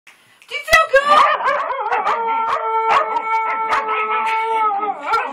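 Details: Pet Shetland sheepdogs singing along to James Brown's "I Feel Good" give a long, steady, tonal howl held for several seconds after a rough, wavering start, with voices and other sounds breaking in.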